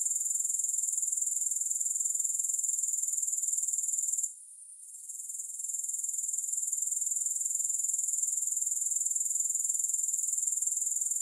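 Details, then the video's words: Grasshoppers with no music: a steady, shrill, very high trill of rapid, even pulses runs throughout. It drops out sharply for about a second just after the four-second mark, then fades back in. "Grass Hopper Sounds"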